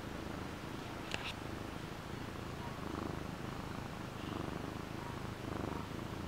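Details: Frodo, a pet cat, gives a steady low rumbling purr with even pulsing throughout, broken by two brief sharp clicks early on.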